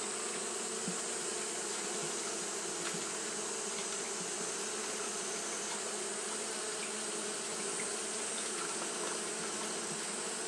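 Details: Continuous fanning by Japanese honey bees during hot weather, heard as an even, unvarying drone with a buzzy low hum layered under a bright hissing wash, constant throughout.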